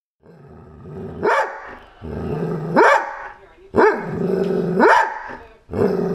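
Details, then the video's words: Big dog being teased indoors, giving drawn-out growling rumbles that rise into sharp barks roughly once a second, with television noise and background voices between outbursts. "Teasing big dogs"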